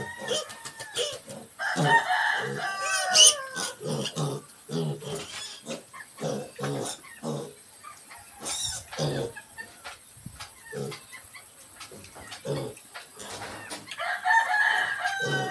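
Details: Young mini pigs give rapid short grunts, breaking now and then into higher squeals.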